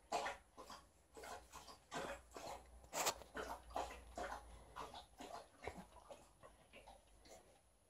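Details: A female Alaskan Malamute named Liza pants rapidly after showing off her fighting moves on an old fish toy indoors while her aunt visits. Breathy puffs come in a fast, uneven run over a low indoor hum.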